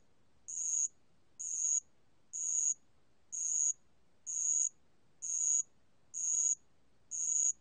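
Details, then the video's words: Recorded in 2020, a bell cricket gives eight high ringing pulses, each brief and buzzy-bright, repeated at a steady pace of roughly one per second. "알락방울벌레, 여러번 듣기, 곤충소리"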